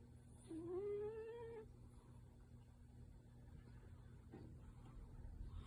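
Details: Tabby cat Yuki in deep sleep, perhaps dreaming, gives one soft whimpering, rising tonal murmur lasting about a second, nasal and drawn out, followed by quiet room hum.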